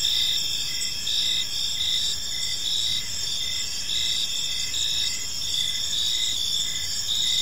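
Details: Several crickets chirp in a quiet park as evening falls, producing a steady high-pitched trilling band with repeated short pulsed chirps and a faint low hum of surroundings.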